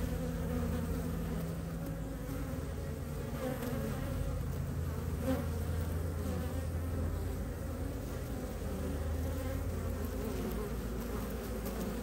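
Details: Honey bees returning to the hive entrance in early spring (mid-March 2023, Ohio), foragers carrying maple pollen in temperatures around the 50s, make a steady, low hum of many bees buzzing together with no clear break.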